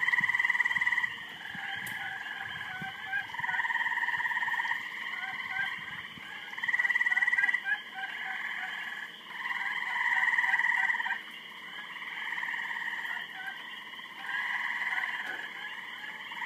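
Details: Noisy frogs calling during mating, trains of rapid pulsed trills rising and falling in loudness, several animals alternating and overlapping in a dense, continuous chorus.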